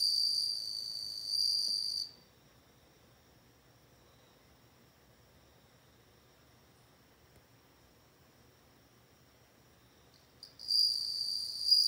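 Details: Bell cricket song: a high, steady ringing tone with faint overtones sounds for two seconds, stops for about eight seconds of near silence, then resumes for the final stretch.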